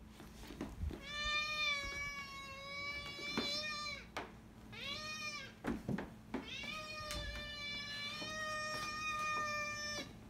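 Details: A domestic cat gives long, drawn-out meows: three steady, tonal calls of about two seconds each, separated by short pauses, with clicks and handling noise in between.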